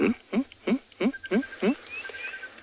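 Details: A meerkat sentry (Suricata suricatta) gives rapid, barking alarm chirps, about three per second, on a morning safari in a South African reserve, 19 March 2021. It warns the group of a jackal on the road and sends them back to their burrows.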